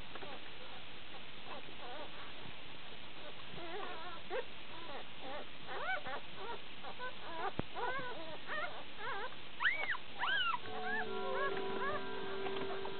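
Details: One-day-old Shiba Inu pups, a litter of six born June 13th 2010 in Belgium, squeal while drinking: many short arched whimpers in quick succession, a few louder wavering cries, then a steady hum underneath.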